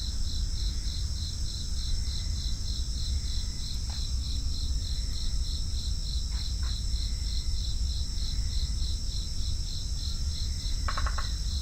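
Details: Crickets keep up a regular, rapid chirping rhythm, about three pulses each second, over a sustained high ringing tone and low background rumble, with scattered brief clicks and faint chirps from other insects.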